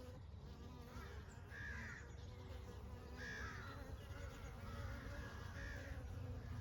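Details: Honey bees in summer make a steady, low buzzing hum that runs through the whole recording. A few faint chirping bird notes come in at about 1.5, 3 and 5.5 seconds.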